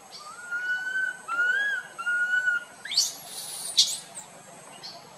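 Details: Tiny monkey wandering its group and crying loudly, giving three sustained whistled wails that waver and bend upward mid-note, then a burst of high hissy rustling sounds.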